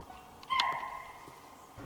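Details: In the Nagarhole Kabini forest, a chital (spotted deer) gives a single sharp, shrill, bark-like alarm call that quickly fades, near a man-made water body; the deer kept sounding alarm calls during a jungle drive.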